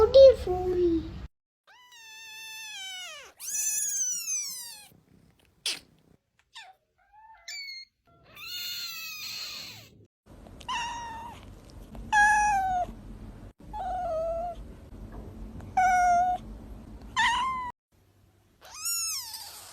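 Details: Kittens meowing for mother and food: a run of about ten clear, high, arching meows, some short and rising, others drawn out and falling, separated by brief silences, with faint low room noise underneath.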